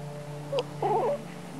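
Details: Early morning: a domestic cat spots a strange black cat on a nearby roof and chitters, a quick chirp then a quavering, warbling run of mid-pitched chitters over a low hum. It is possibly frustration; no one is sure.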